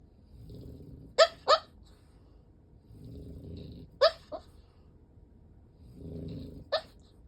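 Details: French Bulldog sleeping soundly on its back, legs splayed and eyes rolled white, with low rasping snores at intervals broken by short, sharp squeaky sleep-talk yelps in pairs.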